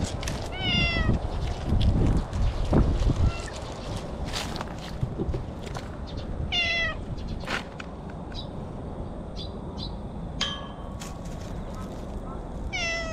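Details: Orange tabby stray cat meowing in its territory: several harmonic, slightly rising then falling meows spread across the recording, with footsteps and handling noise between them.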